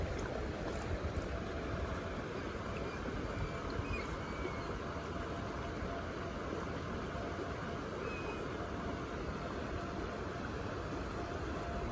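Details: Steady broadband rushing noise, like running water or a passing engine, continues unbroken throughout.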